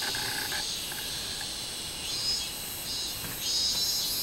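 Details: A summer chorus from a minmin cicada, 24 July 2016: a shrill, hissing high drone with a few soft swells, and faint lower chirps near the start.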